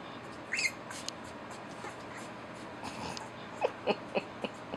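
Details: Eleven-day-old puppies from Rosalie's litter, eyes just opened: one shrill squeak early on, then a run of four short, lower yelps spaced about a quarter second apart near the end, with quiet room noise between.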